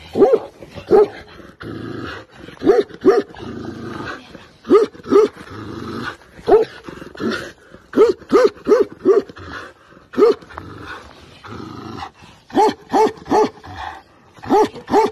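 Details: Tibetan Mastiff on the attack, barking in deep, booming single and paired barks, repeated irregularly about every half second to second for fifteen seconds, with a low growling rumble between barks.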